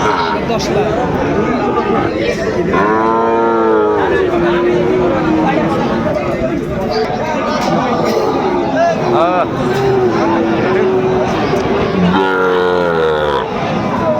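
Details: At Aftabganj market in Dinajpur, Bangladesh, Sahiwal bull calves are traded on 2 September 2025 as the market begins; two long, full moos with rich harmonics stand out near the start and end, amid constant haggling voices and chatter.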